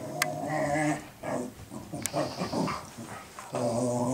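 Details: Two dogs, Cooper and Sophie, in a play-guarding exchange indoors as Sophie teaches Cooper to be a guard dog; low harmonic growls open and close the moment, with a sharp click and scuffling between.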